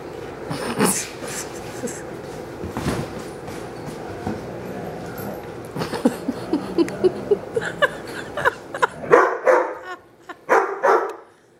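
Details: Four dogs romping together (Lexi, a black Lab mix; Anderson, a Great Dane mix; Kingsley, a German Shorthaired Pointer; Wilma, a Bloodhound), three of them cared for by HART All Breed Dog rescue. Rough, growly whining vocalizations build into a burst of short, sharp barks near the end.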